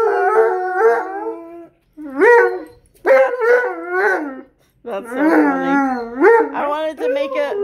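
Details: A Malamute and a Blue Bay Shepherd howl together at home; short bursts of sliding, wavering howls rise and fall in pitch, separated by near-silent gaps, with a person's voice possibly mixed in.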